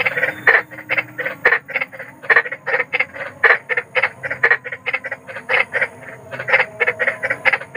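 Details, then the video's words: Night chorus of large wild frogs, a steady train of grating, nasal croaks repeated several times a second, with brief clicks and a low background hum. "SUARA KODOK || KODOK BESAR || SUARA KODOK SERAM"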